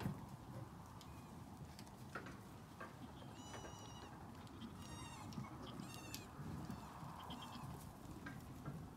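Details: Nigerian Dwarf goat kids bleating: a few short, high, wavering bleats with stacked harmonics scattered through the clip over steady low rumble and background noise.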